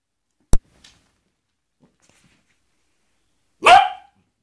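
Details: A Basset Hound barking while attacking a glove, trying to scare it: one deep, forceful bark after a long quiet pause, preceded by a sharp click near the start.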